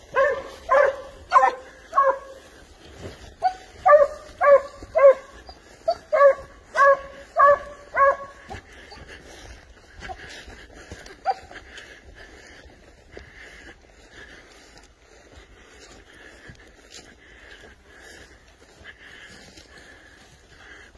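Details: Tracking wild boar, a Spanish hound bays in a steady series of about a dozen ringing barks over the first nine seconds, then falls quiet, leaving faint distant sounds.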